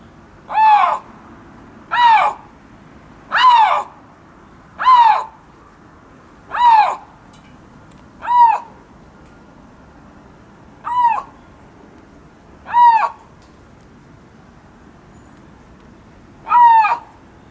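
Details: At Hamura zoo in Japan, a Siberian lynx (Lynx lynx wrangeli) gives short, arching, cat-like cries, repeated every one to two seconds.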